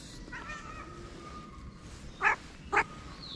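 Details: Stray street cat in Morocco that approached a person with a meow; two short, sharp mews about half a second apart near the end, over a steady outdoor hum.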